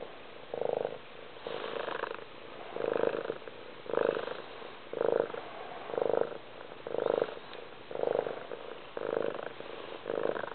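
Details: Loud cat purr, rhythmic rumbling surges roughly once per second, each made of rapid fine pulses, alternating with softer stretches as the breathing cycles in and out.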